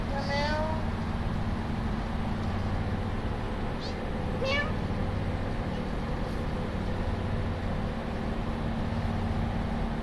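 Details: A sleeping pet cat, waking up, gives two short, rising-then-falling harmonic meows, one near the start and one about four seconds later, over a steady low indoor hum.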